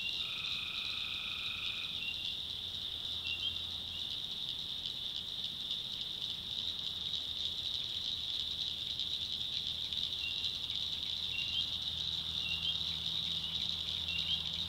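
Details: After dark in North Carolina backwoods, a tree frog opens with a long tonal note, then a continuous shrill chorus carries on with faint chirps, over a low steady hum.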